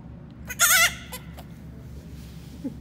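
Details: Baby goat giving a single loud, wavering, nasal bleat lasting under half a second, followed by two faint short clicks or squeaks, over a steady low background hum.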